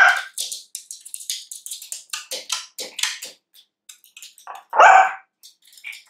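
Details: Female Pomeranian puppy working to get her cookie lets out one loud sharp bark near the end, after a run of short scuffling and whining sounds.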